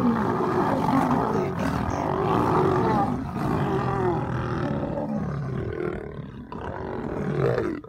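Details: Lionesses in a group fighting a male lion: continuous harsh, rasping growls and snarling roars overlap for the whole stretch, loud and steady, easing slightly near the end.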